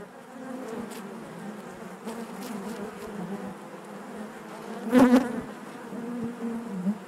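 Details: Honey bee colony humming inside its hive, an even low drone with overtones and one loud close buzz near the five-second mark before settling back to the steady murmur.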